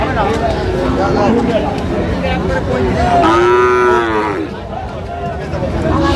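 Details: Sahiwal bull calf at a cattle market on 4 August 2025, where a Chattogram farmer buys calves. One long, drawn-out harmonic moo sounds mid-clip, rising slightly and then falling away, with men talking and market chatter behind it.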